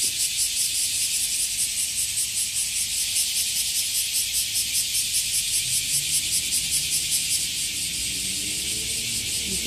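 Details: Crickets calling in a nature setting, pulsed high buzzing chirps repeated rapidly and steadily, about two or three pulses a second, forming a continuous shrill band; quieter now than earlier, with faint low rumble beneath.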